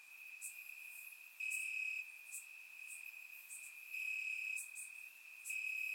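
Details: Warm summer night in Bulgaria with crickets chirping in the grass, recorded in surround sound: an unbroken high-pitched trill rising into louder half-second phrases about every two seconds, with scattered soft high clicks.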